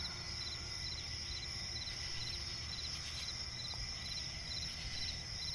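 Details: Crickets in a night forest by a swamp, pulsed high chirps repeating about twice a second over a steady shrill trill and low ambient rumble.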